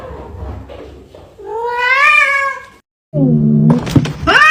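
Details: Cat meowing: a long rising-then-falling meow after a few softer sounds, a brief silence, then a lower growly meow followed by sharp clicks and a rising squeal at the end.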